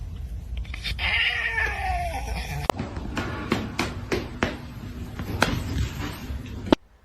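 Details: Domestic cat giving a drawn-out, wavering yowl that slides downward over about a second and a half, followed by sharp clattering knocks and thuds, with background music and people talking.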